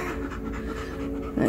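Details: Three-day-old German Shepherd puppy, a female, panting softly while being scratched indoors; low steady breathy rhythm with a brief louder rustle at the end, faint background music.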